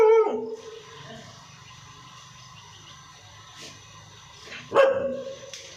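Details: Labrador dog kept as a pet, giving two loud barks, one at the start and one near the end, separated by several seconds of quiet background hum.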